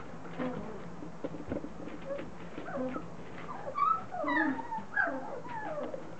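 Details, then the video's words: Several Standard Poodle puppies at three weeks old, newly vocal and mouthing one another, give overlapping high whimpers and squeaks, quick bent notes that grow louder and busier in the second half. "3 week old standard poodle puppies"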